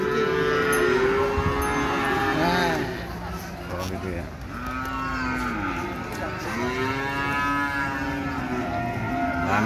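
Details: Cattle at Ambarketawang cattle market in Gamping, Jogja, Indonesia: several overlapping low, drawn-out moos with arching harmonics, rising and falling over about ten seconds, amid crowd chatter and market bustle.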